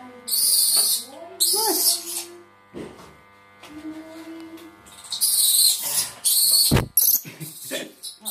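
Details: Orphaned spectacled flying-fox babies in rescue care: loud, harsh high-pitched squawking bursts, several in a row, with quieter wavering tonal notes and soft handling noises between them.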